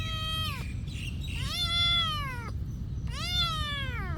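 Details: Cat living at a monastery calling with three long, plaintive meows, each sliding downward at the end, separated by brief pauses over low background noise.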